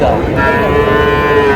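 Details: Friesian or cross-breed bull calves at the Raniganj cattle market in Dinajpur on 30 July: a steady, drawn-out low moo holds through the moment over a constant murmur of market noise.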